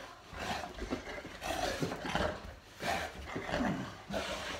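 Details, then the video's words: Boerboel named Molly, playing with her owner at night at home, gives rough, rumbling growl-roars in bursts of about a second, broken by short pauses. "Boerboel Molly playing with owner"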